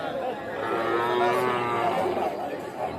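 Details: Sahiwal bull calf at the busy Aftabganj cattle market, Nawabganj, Dinajpur, 8 October 2024: a drawn-out, low, droning moo lasting over a second, with market voices talking throughout.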